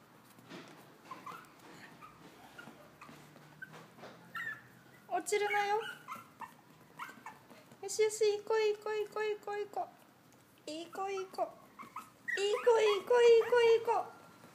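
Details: Young male long-coat Chihuahua, black-tan and white, born August 2016, in a pet shop: bursts of high, wavering whines and yelps in clusters, pausing between, louder toward the end, with faint human voice sounds.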